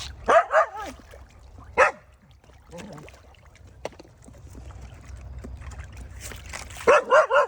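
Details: Ordinary village dog barking to call fish to come and eat: a quick run of three sharp, tonal barks, a single bark, a long quiet gap with faint knocks, then another fast triple burst at the end.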